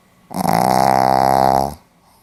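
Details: A Pomeranian sleeping indoors, recorded 4 November 2015 in Hiroshima, lets out one loud, drawn-out snore of about one and a half seconds, a steady rattling buzz rich in harmonics, with quiet before and after.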